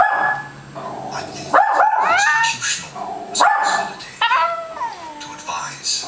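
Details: Female Scottish Terrier indoors, joining in as a Westie barks at animals on TV, giving an odd howl-like bark: drawn-out, bending, yowling tones with rich overtones, several in a row, some sliding up and down.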